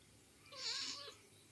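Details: A cat gives a single soft meow, its pitch arching up and then falling back over about half a second. It sounds fairly quiet against a steady low background hiss.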